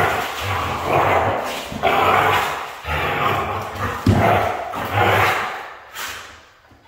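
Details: Red female Siberian husky making repeated rough, breathy yowling bursts roughly once a second, fairly uneven in timing, with a few thumps mixed in and a quieter fade at the close.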